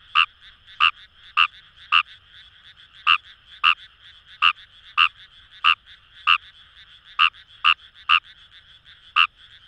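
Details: In rice paddies along the Kamo River in Itoshima, Fukuoka, Japan, a Fejervarya kawamurai gives roughly seventeen clipped, pulsing croaks in under ten seconds, irregularly spaced, with a continuous far-off frog chorus humming underneath.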